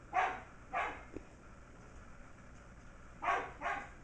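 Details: Shetland Sheepdogs at play indoors: almost six-week-old puppy MacTavish with his Auntie Sasha. Two pairs of quick, sharp, high-pitched barks are separated by about two seconds of near silence.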